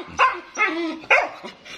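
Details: Stud Siberian Husky barking, with a short bark, a longer drawn-out woof-like howl and another sharp bark, followed by softer yips.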